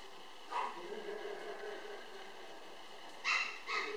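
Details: Energetic male apricot Toy Poodle puppy weighing 800 g, filmed 24 July 2013. A short yip comes early, then two sharp high yips follow close together near the end, with a faint murmur in between.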